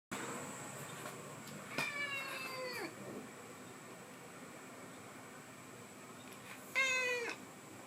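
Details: Thin-voiced 12-year-old black and white domestic cat indoors, giving two high, thin meows about five seconds apart, each sliding downward in pitch, the first longer and the second short and sharp, over quiet room hum.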